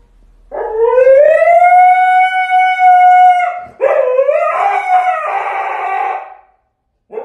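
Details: Siberian Husky howling dramatically as its owner is leaving: a long rising then steady tonal howl, followed by a wavering, rougher howl that breaks into warbling notes before fading; a person murmurs just before.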